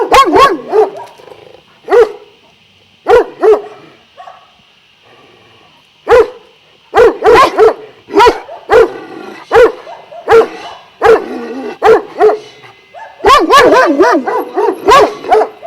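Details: Šarplaninac dogs at a kennel of twelve of Vujanski lineage in Jasika near Kruševac, barking in loud rich harmonic bursts, single and in quick doubles about once a second, building to a dense run of overlapping barks at the end over a faint steady high hum.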